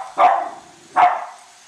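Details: Two Cavalier King Charles Spaniels named Colby and Shelby bark while chasing a new toy train around the Christmas tree: just two clear, bright barks about eight-tenths of a second apart.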